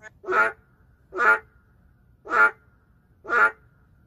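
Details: Boreal digging frog, an endangered species, calling in the city: four short, nasal, quacking bleats, each about a quarter second long, roughly one per second, against quiet background.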